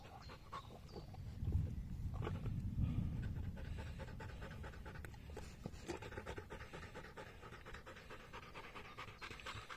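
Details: Polish Hound panting after a 22.5 km bike ride: rapid, breathy, noisy pants about three per second over a low rumble, with scattered clicks and faint handling noise.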